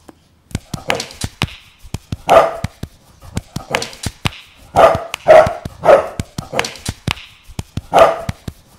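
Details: Bulldog making a series of short, gruff barks and yips, roughly nine bursts over several seconds with sharp clicks between them.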